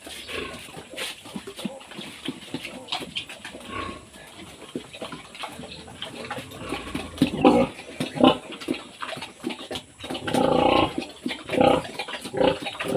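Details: Domestic pig on a farm in the Philippines, where a sow is being cared for after giving birth. Irregular low grunts and snorts that build into louder, denser bursts near the end, over a steady background hum.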